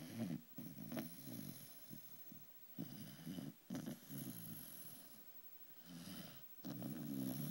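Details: Pet beagle sleeping indoors, snoring steadily: low rumbling snores in bursts with short pauses between breaths, a few quieter gaps, faint hiss in the background.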